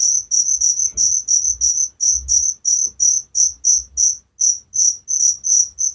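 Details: Crickets singing at night as a calming sleep sound, clear high-pitched chirps in a fairly even run of about three per second, some pulses doubled, over near silence with faint low rumble.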